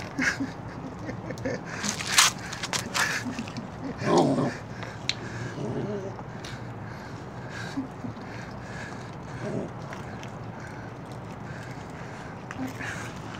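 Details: Puppy defending its bone: one short, rough, low growl rises out of scattered crunching and clicking from chewing, with fainter grumbles after it, all over a steady low hum.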